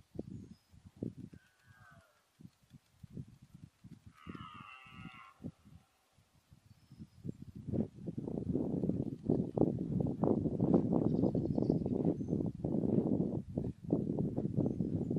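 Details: Red deer stag, chiefly a fourteen-pointer, during the rut: low grunting pulses build into a dense, loud run of roaring grunts in the second half, with a brief higher tonal call near the start.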